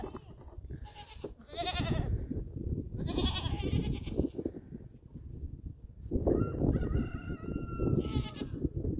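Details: Playful young goats leap onto a llama in Canada. Brief wavering bleats come in the early seconds over steady low background rumble. A long thin tonal note follows near the end.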